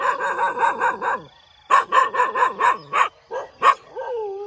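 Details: Dogs barking in the morning with rapid, rhythmic runs of harmonic barks and yips, a brief pause, then further quick barks ending in a drawn-out whine.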